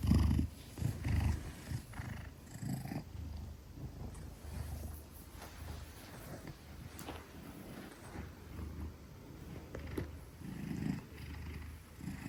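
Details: Gelic, a 10 kg Maine Coon held trustingly in arms, gives a long deep purr; continuous low rumble pulsing with each inhale and exhale, strongest at the start and again near the end.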